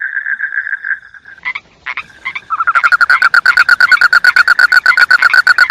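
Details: Frog calling: a steady mid-pitched trill gives way to a few isolated harsh notes, then a fast, loud run of rasping croaks repeated several times per second.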